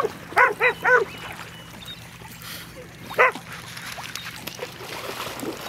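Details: Two pet dogs, a big sister and the little brother who follows her everywhere, playing: three quick high yips in a row, then a pause of about two seconds and one more yip over quiet room noise.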